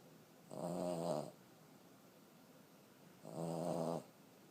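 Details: Elderly 14-year-old female Boston Terrier asleep indoors, snoring hard: two rasping, harmonic-rich snores about three seconds apart, each lasting under a second, in a quiet room.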